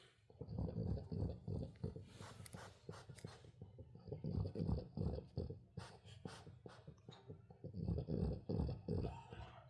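A French Bulldog puppy makes rapid, low snuffling and grunting noises while teething.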